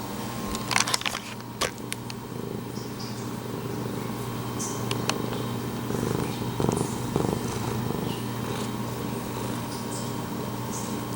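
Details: A pet cat named Pumpkin, right up against the camera, purring and meowing; a steady low rumbling purr runs throughout, with brief clicks and rustles from handling near the start and a few soft mid-pitched vocal bursts later.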